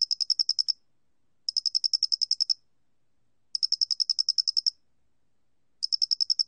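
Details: Square-headed cricket, from a 2020 national biological resources recording: high, ringing pulse trains of eight to twelve clicks, spaced about two seconds apart, clear and isolated without background noise.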